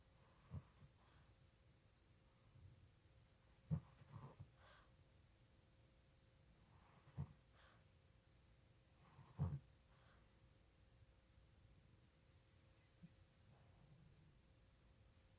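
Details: Boston Terrier puppy asleep with its eyes open and snoring: soft, low, raspy breaths every two to three seconds over a quiet background hum.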